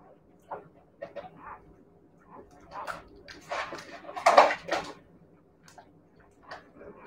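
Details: Siberian Husky puppies giving a run of short, clustered whining yelps and squeaks, building to a louder, harsher burst near the middle before fading to a few scattered soft whimpers.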